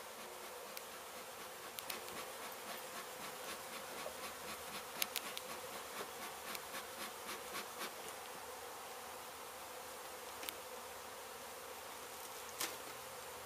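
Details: Honey bees from a hive struck by construction crews at an abandoned home being demolished in Mission, Texas, during a rescue and relocation: a dense, steady buzzing hum with scattered sharp clicks and taps throughout.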